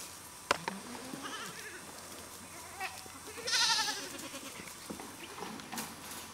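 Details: Goats stretching tall while trying to get food; one clear wavering bleat rises out of faint rustling and scattered knocks midway through.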